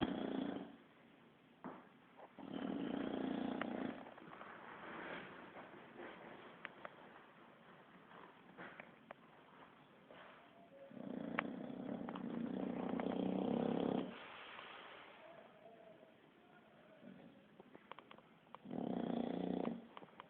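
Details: Kiára, a Bulldog asleep, snores in loud, rough bursts of about a second and a half, three long snores separated by quieter breathing gaps with small clicks and rustles.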